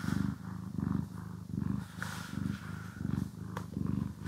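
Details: Pet cat purring while being groomed, recorded in stereo: a strong low purr alternating in regular in-and-out surges, roughly eighty per minute, with faint brushing swishes and an occasional click.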